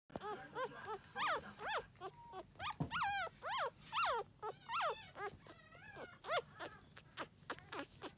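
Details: Lively female Toy Poodle puppy giving a rapid series of high, whining yelps, each sliding up then down, dozens in eight seconds with brief pauses, plus one low thump near the middle.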